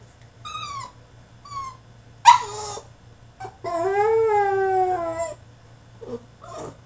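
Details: Male French Bulldog protesting in his cage: short whines, a sharp bark, then a long wavering howl lasting nearly two seconds, ending in soft whimpers.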